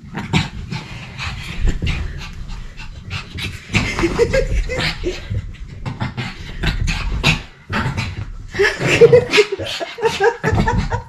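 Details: Energetic pet dog described as crazy, fast excited panting and breathy snorts in bursts, with a few whining squeaks, a man talking and brief music.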